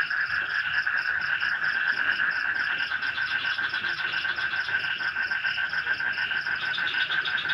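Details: Night swamp chorus of frogs in light rain near an Indonesian forest village: rapid, pulsing croaks blend into a constant droning wall of sound, overlaid by a thin high cricket-like trill.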